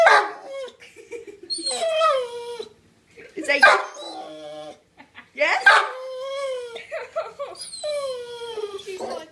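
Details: Pet dog vocalizing indoors to ask for a new toy: drawn-out whiny moans with falling pitch, in about four bursts separated by short pauses, sometimes wavering, with faint human voice alongside.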